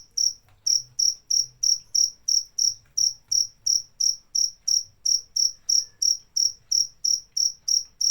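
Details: Steady series of shrill cricket chirps, each a brief bright pulse, repeated about three times a second with little else audible beyond a faint low murmur.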